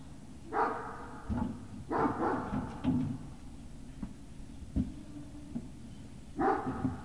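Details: Barking from Great Dane puppies at Puppy Hill on 18 November 2018: three bright, harmonic bursts, with the first two about a second and a half apart and a third near the end, amid thumps and low background hum.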